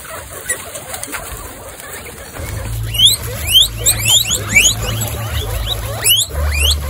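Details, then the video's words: Excited female guinea pigs standing up to wheek, one of twenty-six kept together; after a quiet start, loud steep upward squeals come about twice a second, with a low steady hum underneath. "Excited Guinea pigs stand up and wheek"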